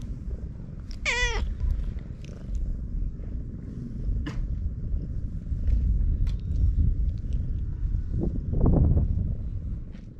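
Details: Tortoiseshell stray cat on a breakwater, being stroked after being found asleep, filmed with a GoPro HERO8 Black; one clear falling meow comes near the start, then a soft low purr under wind and handling rustles.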